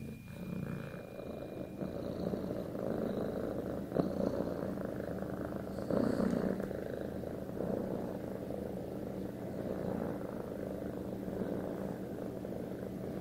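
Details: Domestic cat purring loudly and continuously, a deep vibrating rumble with rhythmic breath swells, a couple of soft knocks.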